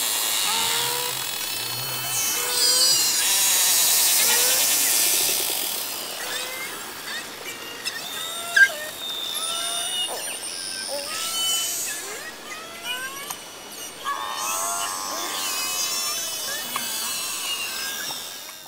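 Beluga whales chirp, squeak and trill, mixing whistles with buzzy pulsed sounds to communicate socially.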